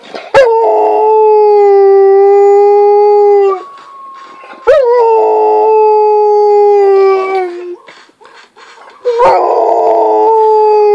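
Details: A female Rottweiler, listening to the song "Big Bad Wolf", sounds like a wolf, giving long, steady howls, each held about three seconds before breaking off.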